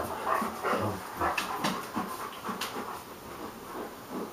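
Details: Hagi, a Romanian Mioritic, plays with Nijinsky, a South Russian Ovcharka: rough, low, irregular growling bursts mixed with quick breathy panting, several pulses each second, no other clear sounds.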